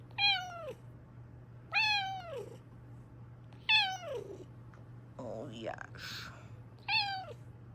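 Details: Loud repeated meows from a female Bengal cat kept as a pet indoors, five bright descending cries spaced roughly every one and a half seconds, with a brief rustling noise near the end and a low steady hum throughout.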